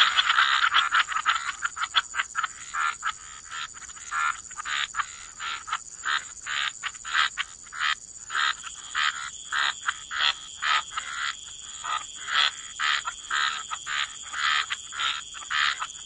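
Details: Waterside frogs croaking in a wetland, a loud rasping opening followed by a steady run of short pulsed croaks, about two per second, over a thin continuous high whine.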